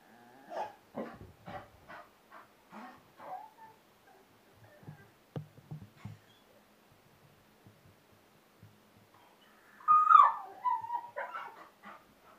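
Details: Young bull terrier, eight months old, at play with balloons: a run of short, evenly spaced huffing yelps and whimpers, quieter low snorts, then a louder sliding whine near the end followed by a few brief whimpers.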